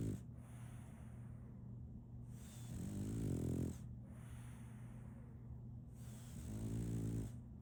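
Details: Sleeping female French Bulldog named Solaimy giving three low, grating snores about three and a half seconds apart, each swelling and fading, between quiet breathing and a constant background hum.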